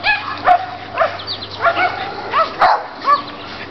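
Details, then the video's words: Chihuahua and Rottweiler dogs at their daily play with neighbouring dogs, giving high yappy barks roughly every half second with a faint steady hum underneath. "Chihuahua VS. Rottweiler"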